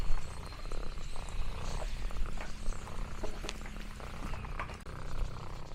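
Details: Lexi, an orange tabby cat, exploring a countryside farm, purring contentedly: a low, steady rumbling purr runs through the whole stretch, with scattered light clicks and crinkling noises above it.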